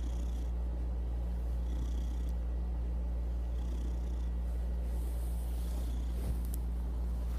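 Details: Kevin, a pet cat, purring steadily in a deep, continuous low rumble with a faint soft rustle near the end.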